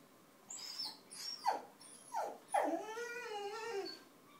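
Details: Basenji mix (Canis lupus familiaris), singing.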